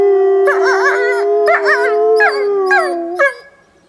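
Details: Captive wolves howling on a snowy day at a preserve: one long level howl underneath while other voices add short wavering, yodel-like howls in repeated bursts.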